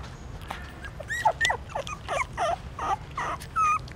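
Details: Several newborn puppies at a pagoda stupa in Siem Reap, Cambodia, trying to suckle their mother; short wavering whines and squeaks overlap in a busy cluster above a low rumble.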